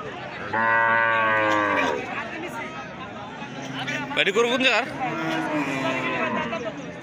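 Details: One loud, rich bellow from big cattle at a village cattle market in Hardattapur, lasting over a second and dropping at the end. Men's voices and market murmur follow.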